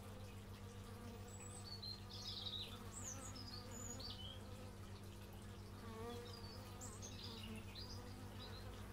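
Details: Outdoor bee buzzing recorded through an x/y stereo microphone, a continuous low humming drone throughout, while several sharp high-pitched bird chirps and short twitters come and go overhead.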